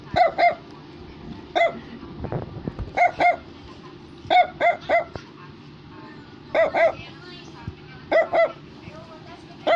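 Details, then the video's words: A Brussels Griffon toy dog yapping insistently in quick double and triple bursts, roughly every second, with sharp bright barks over faint music and human speech. "Brussels Griffon is Barking"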